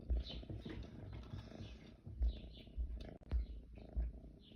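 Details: A kitten purring, captured in June. A close, low vibrating purr pulses with louder throbs about once a second, with soft fur rustling above it.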